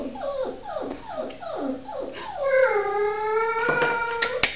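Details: Samoyed pups indoors: a run of short falling yelps and whimpers rises into a sustained, wavering howl with strong stacked harmonics, then fades near the end.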